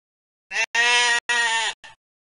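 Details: Sheep bleating in a short series of three harmonic-rich, wavering bleats with a brief fourth, each about half a second long, over a clean, quiet background.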